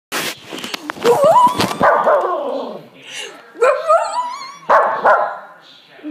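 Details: A Shih Tzu howling in drawn-out, wavering, rising then falling cries, several long howls with short gaps, mixed with a few sharp noises and human voice at the start.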